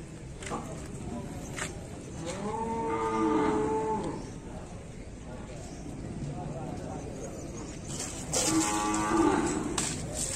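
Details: Bali cattle lowing while being bathed: a drawn-out moo around the two-to-four-second span, then another near the end, with clattering and splashing noises in between.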